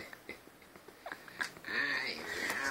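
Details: Husky, an albino house cat said to 'talk', indoors with another cat, Teide, and the family's two dogs; soft scattered taps and clicks, then a sustained, drawn-out harmonic meow filling the last second.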